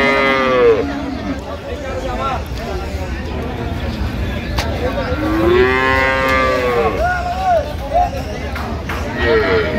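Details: Cows and calves at the Ambari haat cattle market, 20/9/25: drawn-out harmonic lowing repeated several times, one long moo mid-clip and shorter ones at start and end, amid constant crowd noise and voices.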